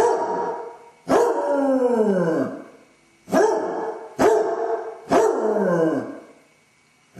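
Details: Left alone in the house, a Basset hound suffering separation anxiety howls and whines in long descending cries, four outbursts with short pauses between them, captured on a home camera.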